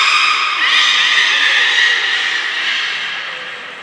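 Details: Beluga at Port of Nagoya Public Aquarium on 3 November 2023, during playtime after a feeding session: a steady, high, whistled tone with bright overtones. It drops to a lower pitch after half a second and fades gradually over a hissing, splashy background.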